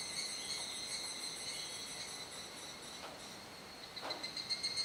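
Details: Evening cicada chorus in Kuji, Iwate Prefecture, Japan, 17 July 2017, as darkness falls. A layered high shrill drone runs on evenly, with a couple of brief knocks and a louder throbbing burst near the end.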